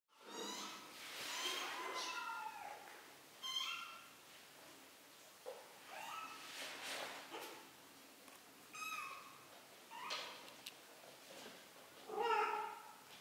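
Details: Three-week-old kittens learning to walk at home, mewing eagerly as they move: a string of high, thin harmonic meows, some rising and falling, repeated every second or two with short pauses between calls.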